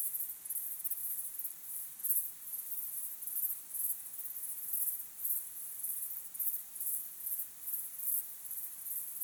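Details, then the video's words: Sunset crickets chirping in a natural recording: thin, very high trilled bursts repeat steadily about every half second, rising and falling slightly in loudness. "Calm, beautiful sunset sky with crickets chirping sound"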